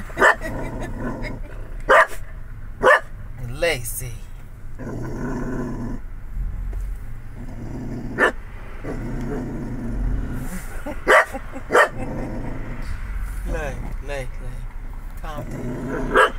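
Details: Family dog Lacy reacting to the Chick-fil-A cow with repeated loud barks spaced a few seconds apart and low growling between them, while a person talks to her throughout.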